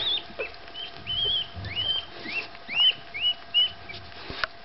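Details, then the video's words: Staffordshire Bull Terrier puppies from the Gladius litter, five days old, utter a string of high arched squeals, each one a brief rise and fall, coming roughly twice a second, with soft rustling underneath. "Gladius Staffordshire Bull Terrier puppies at 5 days old"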